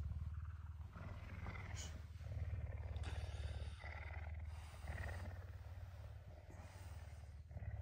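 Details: Hungry puma on a Tuesday morning, up earlier than usual, affectionate and eager for breakfast; a steady low rumbling purr throbs continuously, with brief higher mewing or scraping sounds on top.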